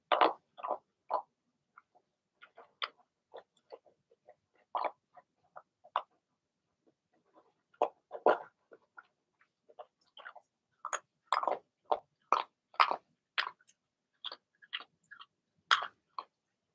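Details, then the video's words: Six-puppy Blenheim Cavalier King Charles Spaniel litter in an indoor pen: a run of brief, bright yaps and squeals, sparse at first, then packing into rapid clusters toward the end. "Cavalier Puppies Bark, Howl"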